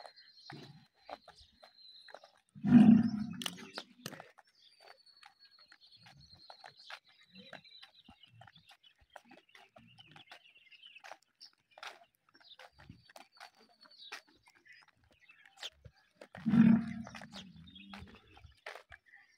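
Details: Cattle, a cow and bull during breeding: two loud, low bellowing calls, one near the start and one near the end, separated by a long quiet stretch with a faint steady high whistle and scattered soft clicks.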